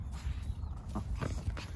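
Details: A puppy struggles to keep hold of something as it is being taken, with low rumbling pulses repeating about every quarter second and faint brighter bursts late on.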